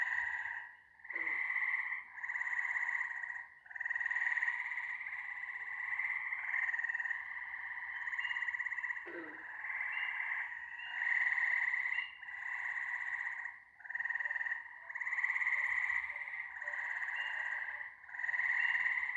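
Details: ['A dense frog chorus of buzzing, rapidly pulsed trills running almost without a break, rising and falling in waves every couple of seconds, with two brief low thumps.']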